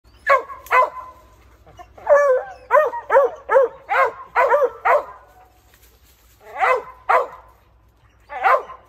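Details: Dogs barking at something up in a tree: a rapid run of sharp, harmonic barks in uneven bursts, several in quick succession, then pauses and a few more barks.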